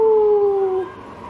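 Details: Talkative pet Siberian Husky, just charged by a baby at home, gives one steady howl-like tone that sinks slightly in pitch over under a second, then stops; quiet room noise after.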